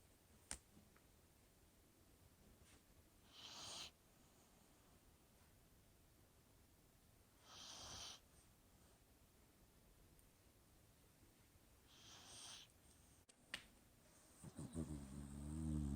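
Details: Shiloh, a dog sleeping at Thanksgiving in November 2020, snores quietly: soft breathy rasps come roughly every four seconds over a low room hum, with a louder shuffling noise at the end.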